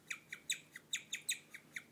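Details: A female guinea pig, in the dark, chirps like a bird in a fast series of high, slightly falling notes, a rare sound for her.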